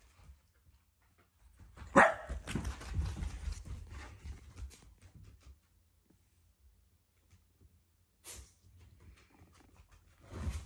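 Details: Pet Shiba Inu growling at home because it badly wants a Labrador's belongings; the growl is not angry but a show of affection. A sharp bark-like onset opens into a rough, low, sustained growl of about three seconds, then short scattered bursts.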